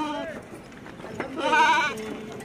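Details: Six sheep at a goat farm in Dera Ghazi Khan, shown before transport; a man talks steadily while one animal gives a brief quavering, harmonic-rich bleat near the middle.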